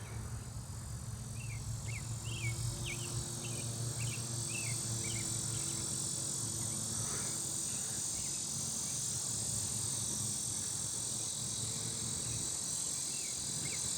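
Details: A lyric cicada gives a loud, steady, high-pitched buzz close by in a residential neighbourhood in summer, calling late in the season, with a car rumbling nearby.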